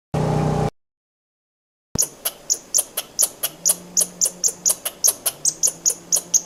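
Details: Squirrel giving a fast series of sharp, clicking chucks, about three per second, after a short burst of low rumbling noise and a pause.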